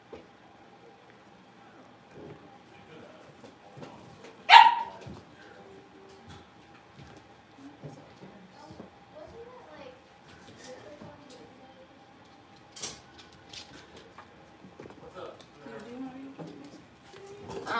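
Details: Playing in their home puppy pen, five young blenheim Cavalier King Charles Spaniels, born at New Year's, give a single loud, sharp bark early, followed by scattered faint whines, soft rustling and a short yip close to the end.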